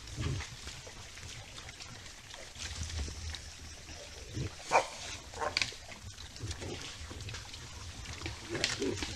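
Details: A herd of white-lipped peccaries in the forest on a morning, startled by something (possibly a jaguar, the observer wonders), gives sharp, abrupt alarm barks and snorts over a low, rumbling herd background.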